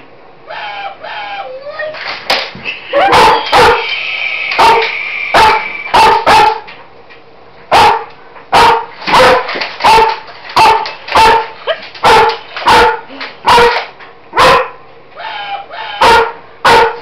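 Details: A female German Shepherd, indoors on a kitchen floor, barks loudly at a Roboraptor robot toy. Sharp barks come in irregular bursts, with whirring, tonal mechanical toy noises early on.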